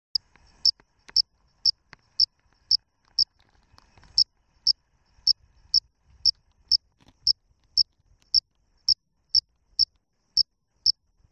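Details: A cricket calling from under tree bark gives short, high, shrill chirps, repeated steadily about twice each second.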